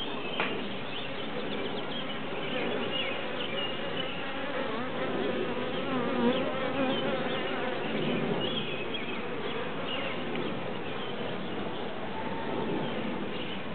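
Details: A big cluster of bees massed in a tree gives a dense, steady low hum with a rippling, many-winged drone throughout, swelling slightly midway, with faint chirps of birds above.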